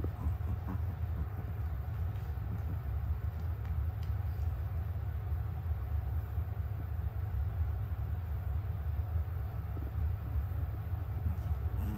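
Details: A steady, deep vehicle or train rumble fills the whole recording, with no animal voices heard.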